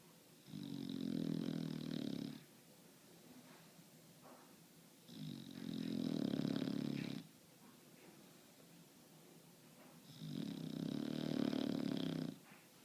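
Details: Pet bulldog sleeping indoors, sawing logs with three evenly spaced, loud, rough snores of about two seconds each, every five seconds, with a low rumble and a faint whistling overtone.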